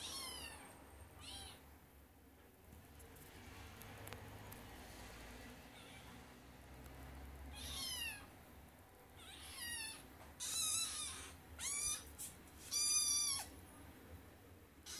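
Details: Kitten trying to climb onto a bed, quiet at first, then a run of thin, high-pitched meows, each sliding up and falling away, coming every second or two and growing louder near the end.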